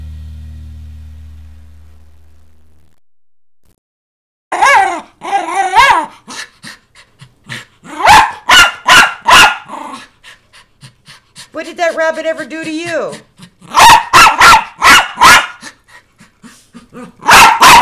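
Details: A feisty male Miniature Schnauzer barks in sharp, rapid bursts, several in quick succession, close to dog yelling. He is battling a ringing bell and a bunny, and grows angrier each time he strikes the bell.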